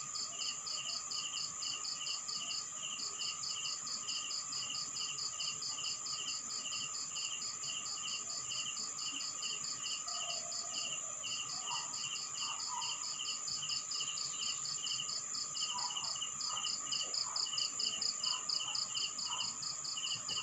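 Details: Night chorus of crickets in a Philippine rural town, recorded raw: dense regular pulsed chirping from several insects, a constant high-pitched drone, and a few faint brief calls of other animals in the background.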